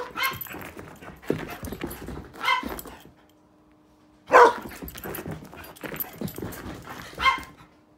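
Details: GreyCee, a dog with the zoomies, gives short sharp barks and yelps in irregular bursts, with a loud burst near the middle and quieter gaps between, over a background of rustling and movement noise.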